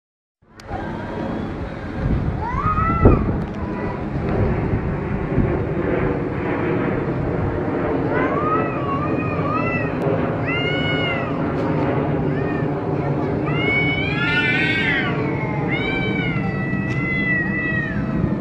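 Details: Two male cats fighting in Pakistan: drawn-out, wavering yowls that rise and fall, growing denser and more overlapping toward the end, over a steady low rumbling background noise.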